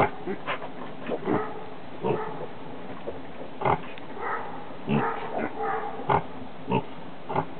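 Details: Guinea Hog sow farrowing her second litter on July 11, 2012, giving a steady series of hoarse low grunts roughly every half second to second, a few sharper and more tonal than the rest.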